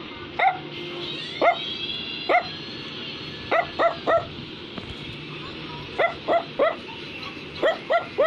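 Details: Pet Brussels Griffon barking steadily: clear, high, clipped yaps repeated about every half second to second, often in groups of two or three, with soft music in the background.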